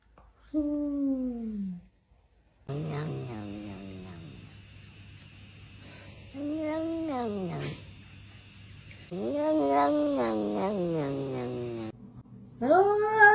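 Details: A cat meows several times, each call a drawn-out, wavering cry that rises and then falls. Some meows are long and some are short, with brief pauses between them. A steady high-pitched tone runs behind most of the calls.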